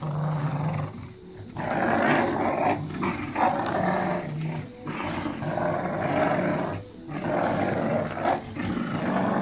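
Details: Several Staffordshire Bull Terriers from one family shred a toy, producing repeated rough growls in uneven waves across the recording, mixed with heavy scuffling and tearing sounds.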